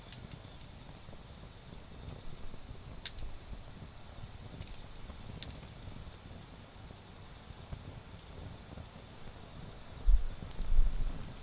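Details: Garden campfire on an autumn night with autumn insects keeping up a continuous high-pitched trill, while occasional wood pops and a low rumble near the end mix in.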